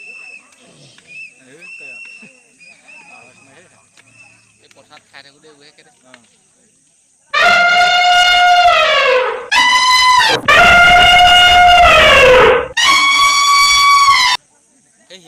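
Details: Elephants in the Kathiyatoli Rengbang tea garden, heard after a quiet stretch of faint background sounds: three loud, harmonic trumpeting blasts in quick succession, each bending downward at the end, separated by short gaps.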